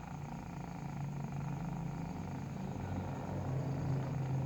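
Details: A nursing kitten purring while it feeds: a steady, low, rumbling drone that holds evenly throughout with no breaks. The level swells slightly toward the end.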